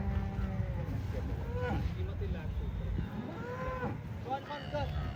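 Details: Holstein Friesian cow offered for sale at a farm, lowing in several drawn-out, harmonic moos that bend up and then down, coming in short bursts, over a steady low engine rumble and faint voices.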